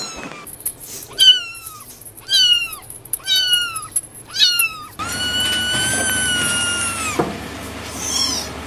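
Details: Kittens meowing: a run of four short, high, falling mews about one second apart, then a single long, steady, high-pitched meow held for over two seconds.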